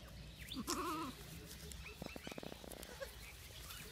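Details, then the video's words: Baby goats eating grass and playing on a field; a single wavering, quavering bleat lasting about half a second, followed by soft rustling and clicking sounds with faint background noise. "Baby Goats Eating Grass And Playing On The Field"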